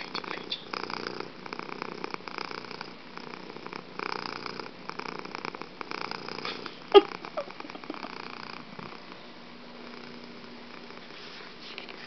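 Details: Fuji, a pet cat, purring loudly in a room, an even pulsing rumble with a sharp knock near seven seconds and a faint hum toward the end.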